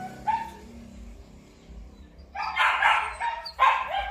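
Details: Purebred Malinois from a kennel in Vietnam: one short bark, a long quiet stretch with low hum, then two loud harsh barks close together at the end.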